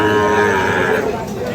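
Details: At Ambari livestock market in Parbatipur, Dinajpur, held Fridays and Mondays, a Sahiwal bull calf gives one steady, rich moo lasting about a second. Faint market voices fill the background on 5 May 2025.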